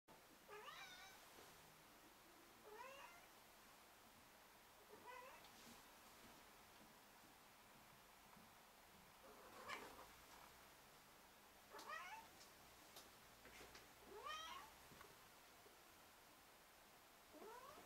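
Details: A silver Bengal cat gives a series of rising, chirpy meows every few seconds in a quiet room.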